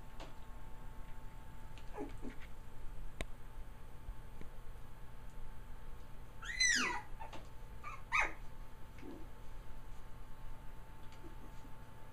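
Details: Three-week-old puppies, a trio of male littermates born to Kaya on November 22, 2009; scattered soft squeaks with two clear high whimpers, a falling cry around the middle and a shorter one shortly after, over steady room hum.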